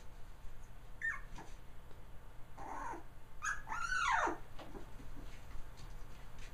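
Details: Trio of three-week-old male puppies, Kaya's litter born November 22, 2009; short high squeaks, then a low moan and a longer arching whimper that rises and sinks, against indoor background hum.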